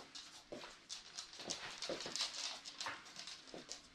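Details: Welsh Terrier named Henry, indoors in a small room during obedience training, gives soft, scratchy whimpering bursts repeated irregularly several times a second, with faint rustling and handling noise in the background.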